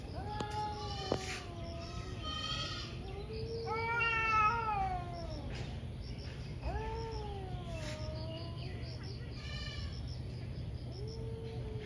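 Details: Two ferocious cats in a morning fight, caught on camera, yowling back and forth with long wavering howls that rise and fall, harmonic-rich cries swelling and fading over steady low hum and chirping insects.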